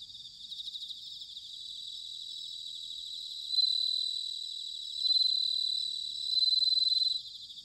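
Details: Autumn bell cricket song recorded at Sanuki in Chiba Prefecture, Japan: after a soft buzzing chorus, three bright pulsed trills swell out at roughly one-and-a-half-second intervals, each high, ringing and shimmering, above a constant chirring background of other insects.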